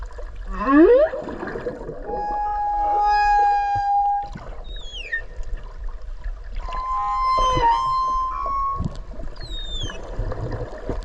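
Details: Whale heard underwater near Okinawa, recorded close by while swimming with it: a quick upward squeal, then long steady tonal notes and several short descending whistles over a soft watery background.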